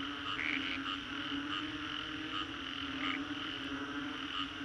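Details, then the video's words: Frogs calling after a storm along Singapore's Green Corridor: a dense chorus of short, bright repeated notes rising over a steady low hum, with a few louder double notes standing out in the first second and again near three seconds. "Frogs after Storm"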